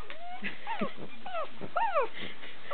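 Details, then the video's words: Female pug howling in protest as an Australian Shepherd pops bubble wrap: about five short, wavering wails, each sliding downward, packed into under three seconds. "Pug Howling"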